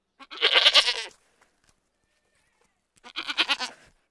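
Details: Goat bleating: two rough, breathy, strained cries about a second long each, separated by nearly two seconds of silence, harsh and noisy rather than clearly tonal.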